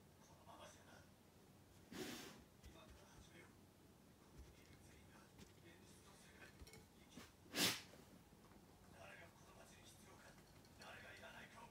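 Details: Lulu, a Golden Retriever, sneezing indoors in a small room: one sharp, explosive burst stands out, with a softer puff of breath a few seconds earlier and quiet human speech in the background.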